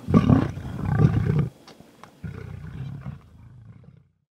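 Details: Mhangeni pride lions hunting on Londolozi Game Reserve; two loud, deep roars in the first second and a half, then a softer, lower rumbling growl that fades out.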